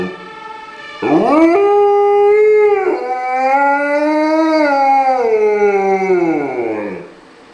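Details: Howling Afghan Hound called Zephyr, set off by a passing fire brigade car in Winterswijk, the Netherlands, May 2011; a quick rising yelp opens into a wavering sustained howl that swells slightly, then glides downward and stops.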